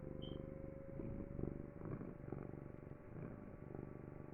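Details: House cat giving a low, throbbing purr in regular pulsing bursts, rumbling and buzzy, with a brief faint squeak near the start and a quiet steady hum.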